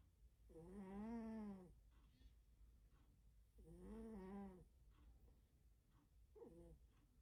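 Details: Heavy snoring from a sleeping pet cat: two long, rattling, droning breaths about three seconds apart, then a shorter clipped snore, in a quiet room.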